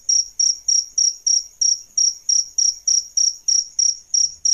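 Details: High tinkling chirps from adult male and female crickets (jangkrik) meant for songbird training, about 15 sharp, evenly spaced pulses, each fading quickly before the next.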